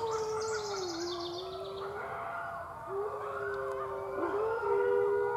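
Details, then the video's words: Red wolf pups, six weeks old, at the Wolf Conservation Center. A howl slides gently downward, breaks off, then resumes at a steady pitch with a brief wobble. Overlapping overtones hint at a second voice; soft background hiss. "Little Howl"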